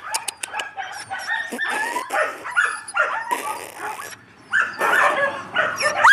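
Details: Yakutian Laika puppies making a jumble of squeaky yips, whines and thin whistling cries, tumbling over one another with brief pauses, in a busy, noisy setting.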